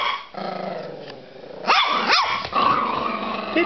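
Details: Border Terrier puppy, described as crazy, playing: rough continuous growling with two quick rising-and-falling yelping whines in the middle, then more throaty snarling to the end.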